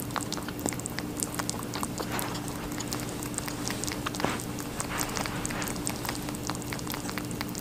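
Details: Watermelon being chewed by a rabbit: continuous soft, juicy crunching with quick clicky bites, a sharper crack around four seconds, and a faint steady hum in the background.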